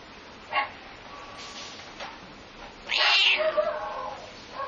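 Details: Domestic cat, slightly angry, answering a neighbour's barking dog with one loud, drawn-out, harsh meow that slides downward, after a few distant barks from the dog.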